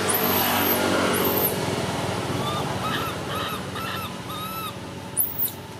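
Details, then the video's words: Baby monkey screaming: shrill, very high arching shrieks open the recording, then a run of shorter whining calls that rise and fall, repeated about once a second over a noisy, rumbling background. "Why is this cute baby monkey screaming"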